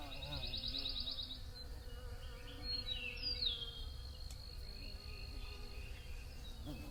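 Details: Bees hum in a wavering drone while a bird gives a quick trill and sharp descending chirps above, over low background rumble.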